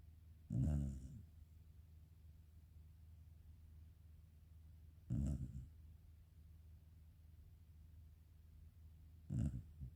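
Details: Three deep, rumbling snores about four to five seconds apart come from a sleeping black Shiba Inu named Karin. Each is a short throaty rasp against a quiet indoor background.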